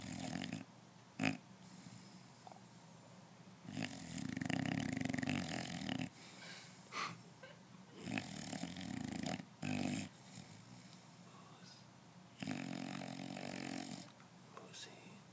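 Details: Moose, an English Bulldog, snoring loudly while asleep: rough, rumbling snores come in bursts of about two seconds, separated by quieter breathing gaps, with a wheezy, snorting texture.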